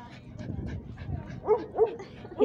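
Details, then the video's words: Dog at a dog park; after a stretch of human talk, three short, loud barks with a strong tone burst out in the second half, spaced a few tenths of a second apart. "BARKING LOUD AT THE DOG PARK"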